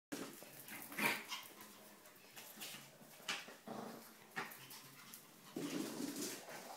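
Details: Two dogs at play: an 8-week-old whippet puppy and a 6-year-old Maltese x Chihuahua. Short, scattered yips and scuffling bursts, one sharper high yelp near the start, with soft rustling between them.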